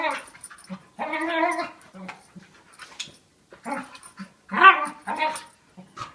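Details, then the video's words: Young dog of about 40 lbs, a year old, play fighting indoors with a larger five-year-old dog, making odd growling, moaning vocal bursts in short irregular bouts, with panting and scuffling between them. "Dog makes weird noises while play fighting with another dog"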